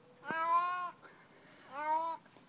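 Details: Part-Siamese adult male cat meowing, two drawn-out, clearly harmonic meows about a second apart, each steady then slightly falling at the end, in a quiet indoor setting.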